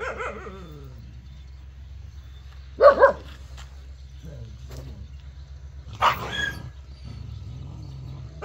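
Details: Jindo dog with a faint whine at the start, then a sharp double bark and, three seconds later, a single bark trailing off, against a steady low background hum.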